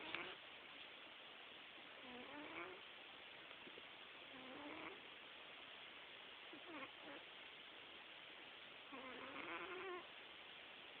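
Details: Quietly snoring domestic cat, with squeaky, faintly whistled breaths rising and falling roughly every two to three seconds, set against a constant steady background hiss.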